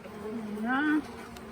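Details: Honey bee from a late-season swarm at the Tamarind Tree Hotel, walking into and around a nuc box during capture. A close, droning buzz rises in pitch over about a second, then cuts off.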